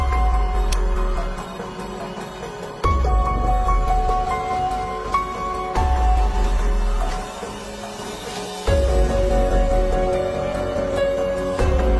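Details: Dramatic instrumental music with sustained tones and heavy low pulses that return every few seconds; no animal voice can be picked out.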